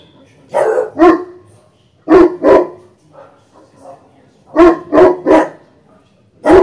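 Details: An aggressive English Bulldog puppy and a Cane Corso guard their home, barking in short bursts of two or three sharp, harsh barks.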